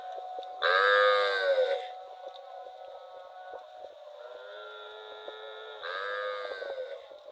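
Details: Cow roaming rural rice fields, letting out a loud drawn-out moo near the start, a faint lower call mid-way, and a softer moo near the end over a constant high-pitched hum.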